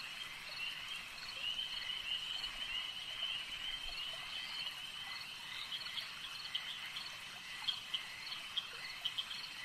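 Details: Many frogs at a lake keep up a steady high-pitched chorus, with scattered brief chirps growing more frequent and pronounced toward the end.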